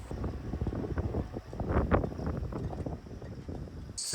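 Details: Wind rumbles against the microphone with a murmur of speech and engine noise in Bandhavgarh National Park, India, and no animal call is heard.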